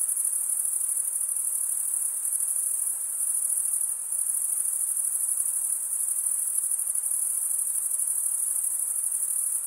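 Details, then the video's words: Male crickets stridulate in a continuous shrill chorus, a bright, even, high ringing drone with slight pulsing and a soft background hiss. "Most relaxing cricket sound for 8 hours"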